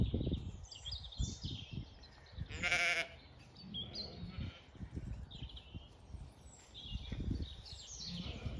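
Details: Nosy sheep on a regenerative farm in County Kilkenny, Ireland, being scratched during an orchard walk; one short, harmonic bleat rises midway over low rustling and handling noise, with faint high bird calls around it.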